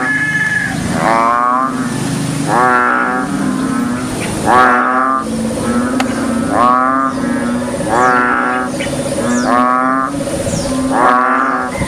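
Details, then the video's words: Big frog croaking on a rainy day: loud, raspy, pulsed croaks in bursts about every one and a half seconds, over a steady low drone. "croaking big frog"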